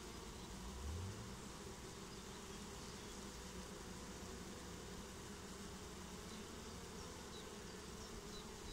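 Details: Honeybee swarm settling into a new home, a steady dense hum layered low with a faint rising drone near one second, continuous throughout with no voices.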